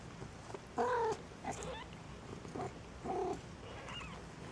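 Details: Maine Coon kittens at a single-breed cattery in Saint Petersburg, Russia, giving short, high mews: a strong wavering meow near the start, a brief squeak, then two more mews about two seconds later, over a quiet indoor background.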